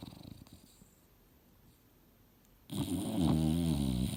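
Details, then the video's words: Mildred the English Bulldog, a female sleeping and dreaming on the couch. Near-silence with faint low breathing gives way to a single loud, buzzy, rattling snore in the last second and a half. "SNORING BULLDOG SLEEPING & DREAMING HARD!!!"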